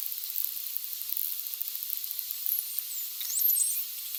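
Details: Striped dolphins (Stenella) give high, sweeping whistles used for social communication over a steady train of background clicks, which they use for navigation and echolocation.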